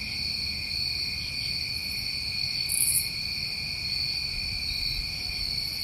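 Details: New England crickets on a summer night, a continuous layered shrill trill at constant pitch, broken midway by one brief louder buzz at the top of the range.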